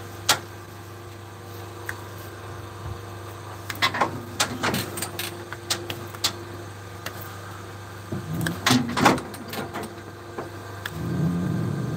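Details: Mechanical clanks, bangs and a steady low hum, like gates and machinery, with no animal voice. Sharp knocks and metallic rattles come in bursts over a constant drone.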